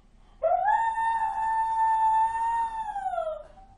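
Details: A dog gives one long, unusually high-pitched howl that rises, holds steady, then sags; it is judged an exceptional, abnormal howl, unlike normal howling, which is about reuniting the pack.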